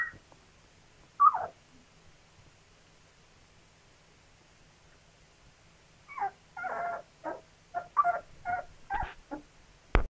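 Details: Two-week-old Labrador Retriever puppies making their first attempts at walking, giving short high whimpering squeaks in a quiet stretch followed by a burst of repeated little whines and yelps near the end, all indoors.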